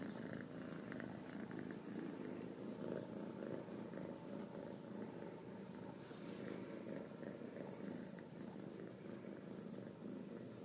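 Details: Ragdoll kittens raised indoors without cages at a home cattery in central Kansas. A steady, low rumbling purr runs unbroken throughout, with faint soft rustles above it.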